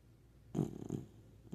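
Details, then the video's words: Male puppy asleep, giving one short low rumbling snore with two pulses, then quiet breathing. "This boy is comfortable and it's definitely obvious #sleeping #puppy #Beebo #snoring"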